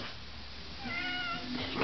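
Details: Domestic cat meowing while being patted: a short, rising and falling tonal meow in the middle, then a brief second meow at the end, with low room hum beneath.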